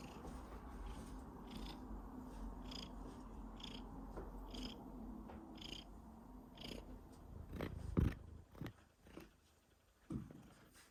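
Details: Domestic cat coughing while purring: a steady low purr with rhythmic pulses in its first half, then broken by several sharp, loud coughing bursts in the final seconds, with quiet purring between them.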